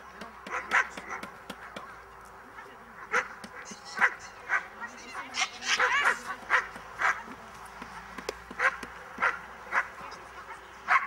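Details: Miniature English bull terrier barking during a defence training lesson: sharp, loud barks in irregular bursts, often about a second apart, with a few yelping, whining notes and people talking in the background.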